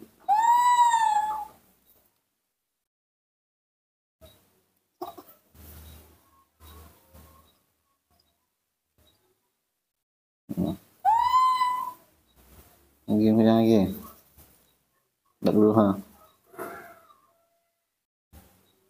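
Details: Baby monkey Nomi, hand-reared, calls out while impatient to drink milk: two loud, clear, slightly rising squeals with rich overtones, about ten seconds apart, between softer short sounds, low voices and brief background music.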